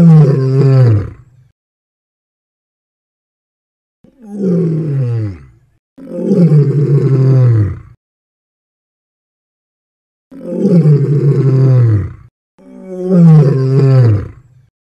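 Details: A lion gives a series of deep, throaty roars, each sliding downward in pitch; lion.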